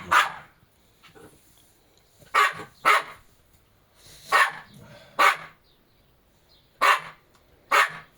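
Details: Jack Russell Terrier, one of two pet dogs named Treisy and Azzuro, gives seven sharp, loud barks in irregular bursts, some paired close together, with quiet pauses between them and faint room noise in the background.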